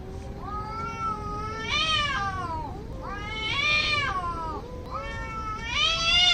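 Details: Angry cats fighting: long, wavering yowls rich in harmonics, swelling and falling in pitch, three drawn-out rising-then-sliding cries over about six seconds, with steady low background noise.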